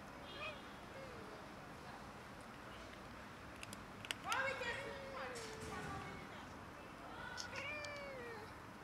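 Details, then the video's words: Several cats and a kitten quarrelling over food outdoors; drawn-out falling meows around 0.5 s and again near 4–5 s and 7.5 s, with scattered clicks and low background noise. "Cats and kitten quarrelling over food"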